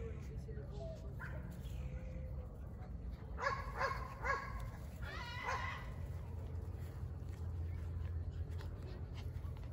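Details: Forty-nine-day-old Border Collie puppies of German father and Russian mother, litter born 19 April 2022, recorded 7 June 2022: thin, wavering whines, then bursts of bright rising yelps around the middle, over steady low hum and a coaxing human voice.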